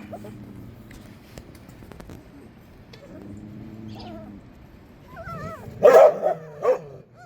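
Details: Korean Jindo puppies, two females including a black-and-tan one raised by a surrogate mother: after quiet low murmuring, a burst of high, wavering whines and sharp yelps near the end, with people talking.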